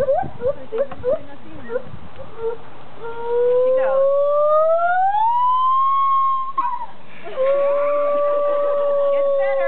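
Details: Two zoo gibbons performing for a crowd give short hoots, then long, pure whoops that slide steadily upward and hold high.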